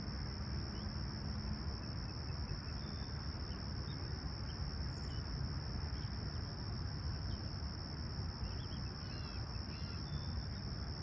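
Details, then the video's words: Crickets keep up an even, continuous high trill during a peaceful summer sunrise in Toronto's Humber Bay Shores on July 28, 2020; faint bird notes appear near the end over heavy low background rumble. "Serene Summer Toronto Morning With Chirping Crickets"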